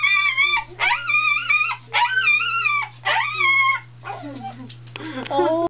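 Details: Pet dog joining in with recorded howls of other dogs: four loud, harmonically rich wavering howls about a second each with short pauses, then softer lower whimpering howls, over a constant low electrical hum.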